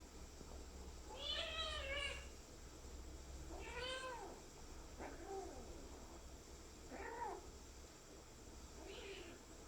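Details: Kitten after getting a shot, crying out in five drawn, wavering meows spaced about two seconds apart, the first ones loudest and later ones thinner, over a low steady hum.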